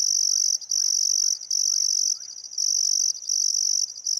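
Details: Australian Outback crickets at sunset on the Barcoo River, Welford National Park, Queensland, on a still summer afternoon: strong shrill trilled bursts with short breaks, plus a soft bird note repeated about every half second underneath.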